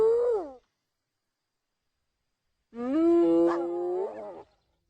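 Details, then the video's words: Hyena producing a brief falling cry, then after a silence a longer, nasal, sustained moan that holds steady before lifting in pitch near its end; a short click sounds midway. "Som de Hiena"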